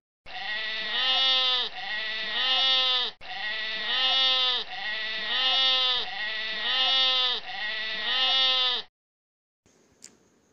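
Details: Sheep bleating played for children during an English lesson: six long, wavering, quavering bleats in close succession, each around a second and a half, followed by a brief quiet gap and a faint click.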